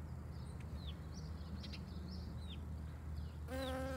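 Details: A European honey bee pollinates a dandelion, humming with a steady, low wing buzz, while faint bird chirps sound in the background.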